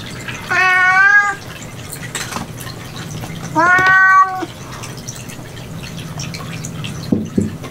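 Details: Domestic cat indoors in a cat room where a rescued kitten is being raised: two clear, drawn-out harmonic meows about three seconds apart, each slightly rising then level, over a faint background hum.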